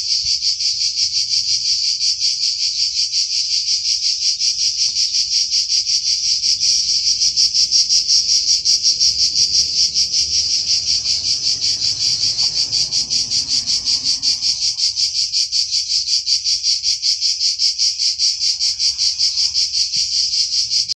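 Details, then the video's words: Cicadas give their summer song, a loud, steady, high-pitched buzzing drone that pulses rapidly without a break. "Cicale (canto)cicadidae,cicadas"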